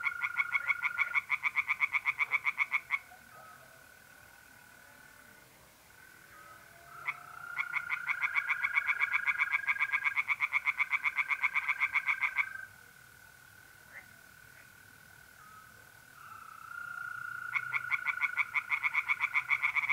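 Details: Singing tree frogs in a pond by night, mid-April, north-east Italy: loud rattling trains of rapid croaks in several bouts separated by pauses, while mole crickets keep up a steady, even trill throughout.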